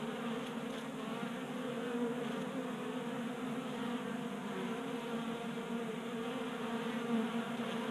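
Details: Crowd of honey bees at a table-top 3D printed feeder in Colorado in January, burning winter fat stores in late heat; an even, thick buzzing hum with shifting pitches from individual bees passing close.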